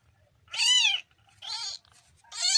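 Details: Kitten on its third day: a loud, drawn-out meow with rich harmonics, followed by a flatter, buzzier mew and the start of another.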